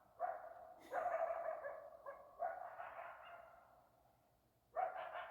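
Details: Several coyotes (Canis latrans) in Arizona call: harsh barks that stretch into short, wavering howls.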